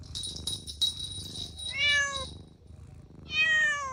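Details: Playful kittens on a grassy patch: after a burst of hissy rustling, two clear meows follow, the first bending down in pitch, the second arching upward then sliding down, about a second and a half apart.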